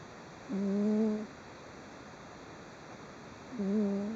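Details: Deeply sleeping cat snoring and twitching slightly, recorded indoors on 3 June 2011: two soft, low, humming snore breaths, each under a second long, about three seconds apart, against faint background hiss.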